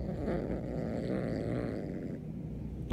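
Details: Siamese kitten named Beans growling at its owner, angry about a new kitten kept in the next room; a steady low rumbling growl lasting about three seconds, ending with a short sharp noise.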